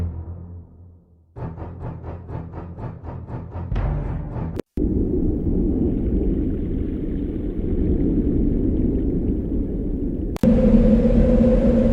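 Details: Dramatic music with rapid pulsing drum hits gives way to a loud rumbling swell, and no animal voice is heard.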